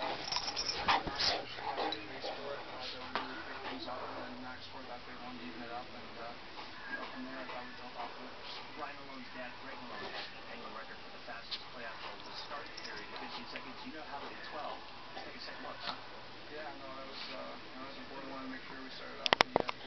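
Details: Two dogs playing indoors, Wrinkles the Shar Pei and Hooch the Chihuahua: continuous wavering, whiny whimpers and soft play-growls throughout, with a few sharp clicks and knocks at the start and end and a person talking faintly.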